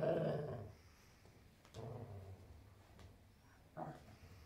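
Weimaraner dogs trade low, rumbling growls in short bursts during rough play-fighting. Each growl lasts under a second, separated by brief pauses and scuffling noises.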